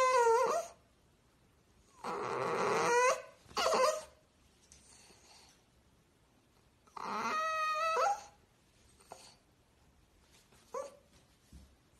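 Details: Whimpering French Bulldog from a playful compilation, producing loud strained whines and yelps in bursts around every few seconds, some harsh and breathy, others clear and tonal, fading to faint squeaks near the end.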